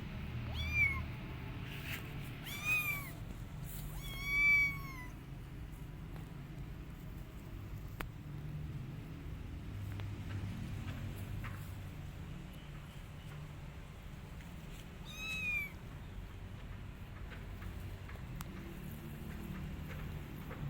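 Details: Kitten, a week after its mother cat left the litter and still upset, gives several high arched meows with stacked harmonics near the start, another pair around fifteen seconds, then quieter stretches over a low rumbling background.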